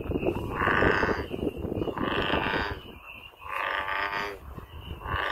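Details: Wild American bullfrog's deep, bellowing calls, four long harmonic notes of about a second each with brief gaps, set against a steady high drone and low background rumble.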